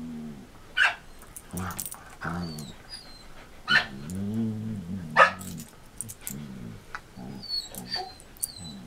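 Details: Samoyed Marco Polo, six years old after back surgery, playing with Border Collie Cisco in 2014: harmonic grumbling growls in bursts, punctuated by three sharp yelps, with high bird chirps in the background.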